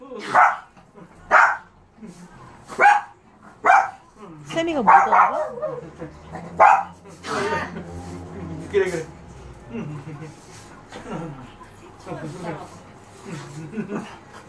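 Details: A Shih Tzu at home on 6 July 2018 gives short, sharp barks in spaced bursts after sensing from car sounds in the parking lot that its owner has come home early.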